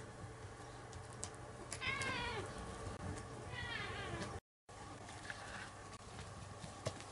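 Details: Cat. Two clear meows from a domestic cat, each a rich, wavering cry that falls away at the end, about two seconds apart. A low indoor hum sits underneath, with a few faint background noises.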